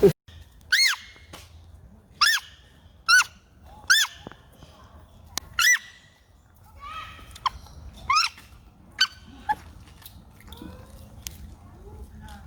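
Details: Baby monkey crying loudly in a forest in China: a string of high, harmonic wailing cries, each arching up and then sliding down, repeated roughly every second with short gaps. Softer calls follow near the end over a low background rumble.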